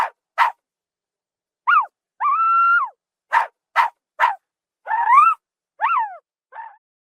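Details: Zebra, African savanna: sharp broadband barks mixed with an extended flat, nasal call and falling harmonic yelps. The short outbursts arrive about every couple of seconds, with silence around them.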